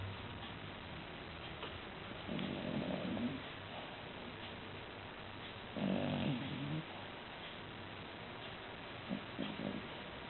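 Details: Female poodle-Maltese cross dog asleep on its back, snoring softly: rough, breathy low snores come in short bursts about every three and a half seconds, with quiet hiss between them and a faint recording overall.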